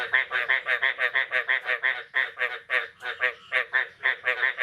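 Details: Frogs croaking in the morning after the first rain of the year, 9 May 2022; loud, nasal, rattling croaks follow one another closely, about three each second, with a few brief gaps.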